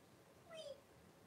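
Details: Blenheim Cavalier King Charles Spaniel puppy in a litter of five, born on New Year's and kept indoors in a pen with mother Paris; one short, high, wavering squeal with a slight falling end, in a quiet room.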